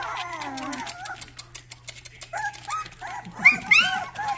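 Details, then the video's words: Several Rottweiler puppies giving their first barks: high, squeaky yelps and whines overlap in quick, uneven bursts, with music and a person's voice in the background. "first barks"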